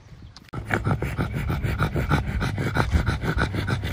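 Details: Pangpang the pug resting on a warm summer day in London, taking a break from a walk: rapid, steady panting, about three breaths per second, beginning after a short half-second quiet and continuing without pause.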